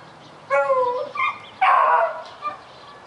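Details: Puppy barking at a rabbit: four short, high, harmonic yelping barks, the first and third longest and loudest, the others brief, spread over about two seconds against a quiet background.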